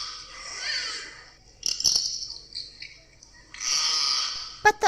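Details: Beluga whale. A beluga whale calls in bursts of high, breathy squeals and chirps, with a brief thin whistle between them. Two sharp clicks close the short sequence.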